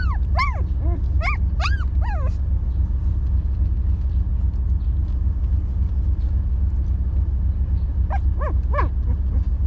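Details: Stray dog mother with her puppies at home in the sun; high, thin whimpers slide sharply downward in short clustered bursts, a group early and another near the end, over a steady low rumble.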